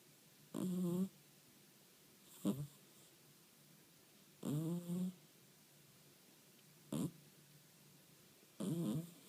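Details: Sleeping Scottish Fold cat snoring indoors: five low, buzzy, harmonic-rich snores, each about half a second long, arriving every couple of seconds with quiet breathing pauses between, in an otherwise still room.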